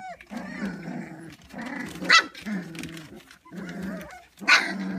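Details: Three-week-old white standard poodle puppies make low, nasal whimpering calls in bouts of about a second; twice a brief, harsher squeak or yelp cuts through, louder than the steady murmuring.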